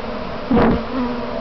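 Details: A single honey bee zips close by during a practice swarm near its hive box, its sharp rising-and-falling buzz standing out over the steady background hum of the surrounding swarm.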